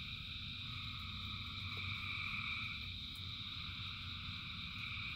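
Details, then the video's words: Rain-soaked frog chorus of thousands, a seamless drone of high buzzing trills with brief brighter notes rising above it, backed by heavy, even rainfall and a low rumble. "Frogs in Rain 2 Hours of Frogs, Thousands of Frogs Singing"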